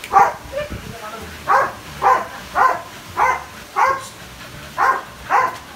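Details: Belgian Malinois named Phola, nearly two years old, gives loud, hoarse barks about every half second to second. The barks are evenly spaced with short quiet gaps, and faint background sounds lie between them.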